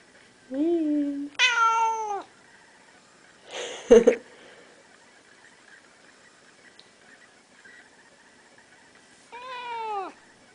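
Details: A blue point Siamese cat, about 8 years old, greets its owner with loud, drawn-out meows that bend downward in pitch.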